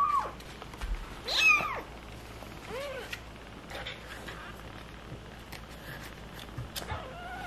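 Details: Stray cat family with kittens: high, arched, harmonic mews, one loud call early on, then softer meows scattered through the rest, over a steady low background hum.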